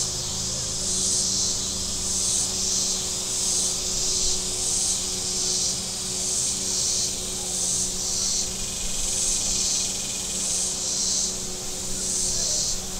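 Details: Along Table Rock Lake in southern Missouri on a warm Saturday, cicadas produce a continuous high rasping buzz pulsing in quick beats under a second apart, with engine hum from passing boats and a brief thin tone partway through.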